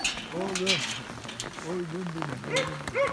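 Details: Rottweiler named Alfa greeting his owner after four days at a dog hotel, crying with joy: high wavering whines and short yelps rising and falling, with a person talking nearby.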